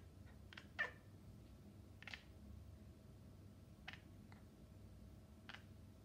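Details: Maine Coon cat (Felis catus), chirping calls: communicating with birds.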